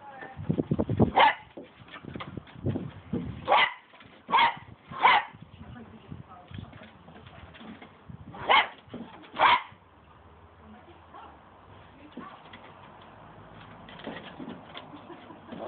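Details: Cocker Spaniel playing with a broom handle: a few sharp barks at about 3.5, 4.4, 5, 8.6 and 9.5 seconds between scuffling, handling noise and some low talk.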